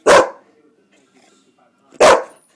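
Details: Boxer kept as a pet, trained to speak when told: two loud, gruff single barks about two seconds apart, each short and abrupt, with quiet pauses between and the owner praising it afterward.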